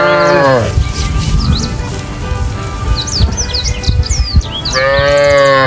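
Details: Cow mooing: a short low moo opens, then a pause filled with chirping birds, and a second drawn-out harmonic moo follows near the end.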